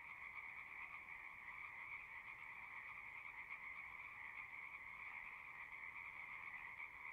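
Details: Pond frogs in a horse pasture sing as a constant, even chorus, recorded with a Zoom device; overlapping trills merge into a steady two-tone hum with no pauses.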